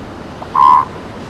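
A seal pup gives one short, clear, slightly nasal cry over a soft hiss of surf.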